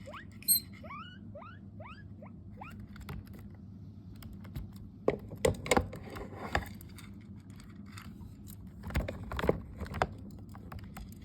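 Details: Hairless skinny guinea pig calling for food with a run of rapid upward-sweeping squeals in its first few seconds, then rustling, tapping and knocking sounds over a constant low background hum.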